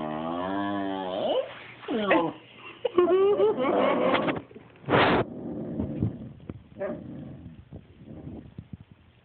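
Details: Jealous pet dog protesting while its owners pet the cat, making strange talking noises: a long wavering, warbling moan, then rising yowls and a sharp bark-like burst, fading into low grumbles and soft whimpers.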